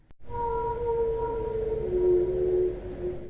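An orca gives a long, tonal whistle-like call that holds steady, then slides slightly lower.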